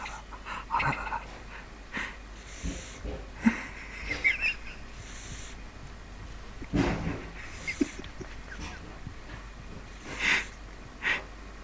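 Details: Neal, a pet pug, sleeps indoors, tired after a vaccination visit to the hospital. He gives wheezy, snorting snore breaths in irregular bursts, with louder rasping snorts spread over several seconds in a small quiet room.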